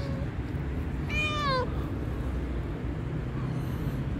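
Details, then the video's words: A hungry black-and-white cat, marked by a mole on its nose, lets out a single sharp, rising-then-falling meow lasting about half a second amid low background rumble. "black and white cat with a mole on the nose is hungry."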